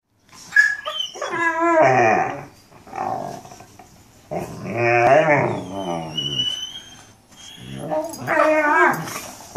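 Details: Mastiffs talking: drawn-out, wavering howl-like moans with rich harmonics, rising and falling in pitch, in three long phrases separated by short pauses, with a faint high whistle-like tone in the background.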